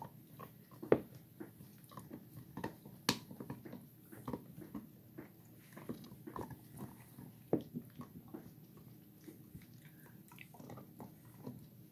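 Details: Two Gollie puppies aged 4½ months gnaw eagerly on bones inside, giving rapid uneven crunches and clicks, with several hard cracking bites standing out above steady low chewing noise.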